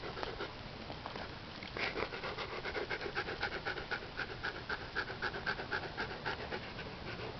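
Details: Siberian Husky crossed with a wolf, panting as it watches a dung beetle build a home; fast, steady huffing breaths roughly four a second, growing louder midway, with a little background scratching.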